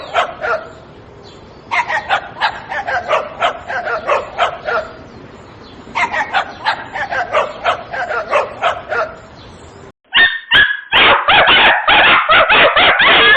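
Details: A little dog yaps in rapid bursts of high barks, several in a row, then a pause, then more. The last few seconds are louder, harsher barking.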